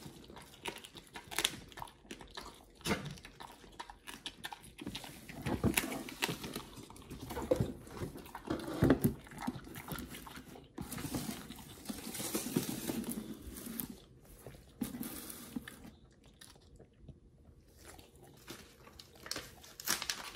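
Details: Oliang and nomyen, Pit Bulls, eat raw healthy treats indoors: wet, smacking chewing and licking clicks in uneven bursts, louder around the middle, with brief quiet pauses between mouthfuls.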